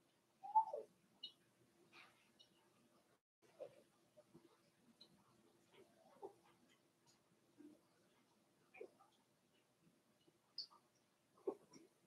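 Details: Four-week-old Cavalier King Charles Spaniel puppies in a pen: scattered short high whimpers and squeaks, one rising-falling whine near the start, quiet room with a steady low hum.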